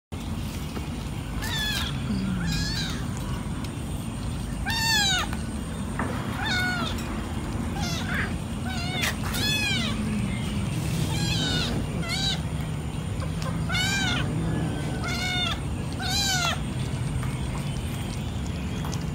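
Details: Many cats eating fish at night, giving repeated short arched meows, several overlapping at times, roughly every one to two seconds over a steady low rumbling background.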